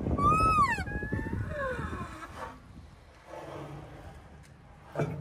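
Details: Rhino calf moaning: a high arching tonal moan that peaks and falls, followed by two fainter trailing moans, then quieter low rumbling and a brief knock at the end.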